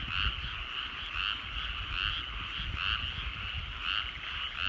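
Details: Frogs calling from rice fields at evening sunset in rural Japan, a thick chorus of rhythmic croaking pulses repeating roughly once per second over a low steady hum of background noise.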